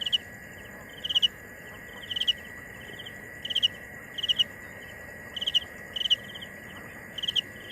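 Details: Cricket chirping: short bursts of a few high pulsed notes, repeated roughly every second, over a steady high whine and a faint background hiss.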